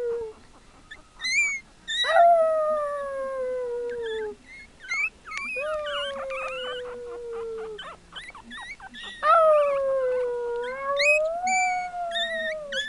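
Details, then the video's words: Several Chihuahua pups howl together in overlapping, slightly falling drawn-out tones. High wavering squeaks weave between them almost without pause. "HOWLING Baby CHIHUAHUAS!!!"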